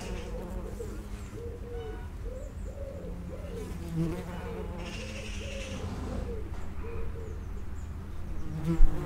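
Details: Buzzing of common wasps at an underground nest entrance, a steady low drone with wavering hums from several insects circling close, one sharp pass near the end.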